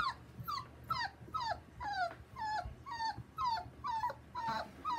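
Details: Taco, a male Border Collie puppy with a chocolate smooth coat, gives a steady run of high, thin whimpers. Each cry slides downward, about ten of them in five seconds, over a quiet low hum in the background.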